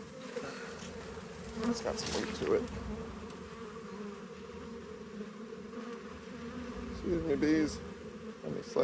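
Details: Humming colony of honey bees while hive frames are handled during harvest; a continuous low drone with a sharper buzz passing near the end, plus occasional knocks and scrapes of equipment.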